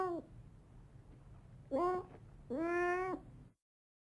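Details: House cat giving a brief clipped meow, then two more meows, the last held longer at a steady pitch before stopping, in a quiet setting; drawn from a collection of cat meows, snarls, hisses, moans and cries.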